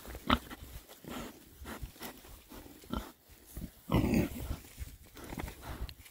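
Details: Winter foraging by six male Oxford Sandy and Black pigs, a rare breed, between storms; a few deep, resonant grunts, one stronger and drawn out near the end, over steady snuffling and ground rustle.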